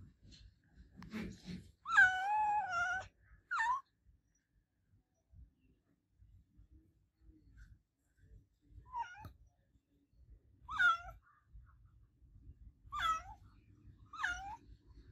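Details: Adopted pet cat named Olevia meowing loudly indoors: a drawn-out wavering meow near two seconds, then a shorter one, followed by four brief rising-falling meows spaced about two seconds apart in a quiet room.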